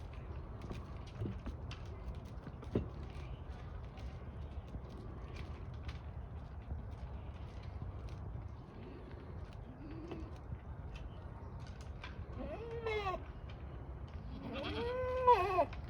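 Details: A Kiko goat (Capra hircus) at Assiniboine Park Zoo in May 2023 gives wavering, nasal bleats near the end, after a stretch of low background rumble.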